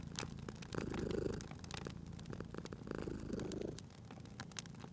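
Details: Cozy fireside scene with a sleeping cat purring: two or three rumbling breath pulses, each swelling then fading, amid bright crackles and pops from the fire.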